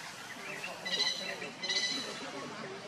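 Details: Monkeys: Luna runs very fast carrying Luno as Rainbow tries to take Luno away. Two brief, high, thin squeals with clear stacked harmonics, about three quarters of a second apart, rise over a busy outdoor background.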